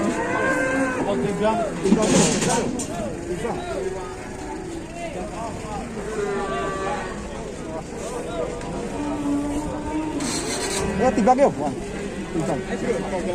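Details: Cattle in a pen, including a bull with a torn nose; several short, wavering moos repeated through the clip, mixed with music, bursts of noise and knocking sounds.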